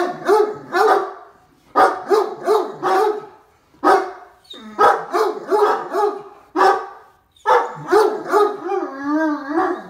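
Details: Two excited Great Danes barking in greeting as their owner comes home; deep, loud barks in quick bursts of two to four, with short pauses between bursts, and a drawn-out whining howl near the end.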